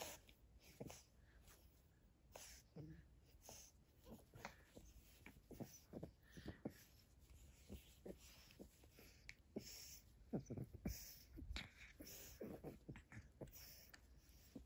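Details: Eight-week-old pug puppy Bowser at play with a hair scrunchie in a small room: a run of wheezy, breathy snuffles and nasal snorts, with irregular puffs coming faster and louder toward the end.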